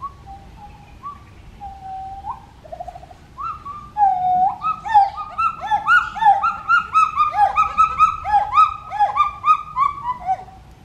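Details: Pileated gibbon family calling: pure whistled notes near one kilohertz, a short trill, then a loud accelerating series of rising, swooping hoots packed closely together, building in intensity and overlapping as the family joins in.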